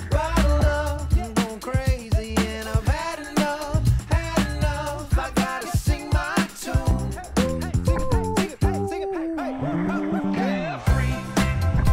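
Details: Upbeat funk-pop song with a pulsing beat and a sung vocal line plays throughout, with no animal sounds.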